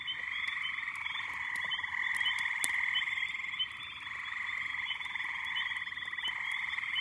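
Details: Massed frogs and little peepers calling at a backyard pond in May, forming an unbroken ringing chorus of high, overlapping peeps and trills that swells slightly mid-way.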